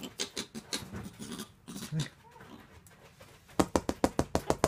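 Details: Meerkat (Suricata suricatta) rubbing its rear against a person as affection or family recognition gives harsh, uneven chirps, then a quick run of sharp, clicking pulses.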